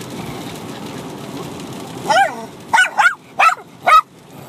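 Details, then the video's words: Bichon Frise puppy, six months old, and an adult dog barking at each other in rough play. After a low rumbling background, one drawn-out bark, then four short yappy barks spaced about half a second apart. "Bichon Frise Puppy & Dog Barking at each other Crazy"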